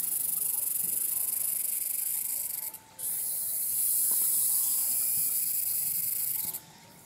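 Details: Tsukutsuku-boshi cicada (Meimuna opalifera) singing: a steady, very high, shrill hiss-like buzz that holds for several seconds, drops out briefly near the three-second mark, resumes, then stops again near the end.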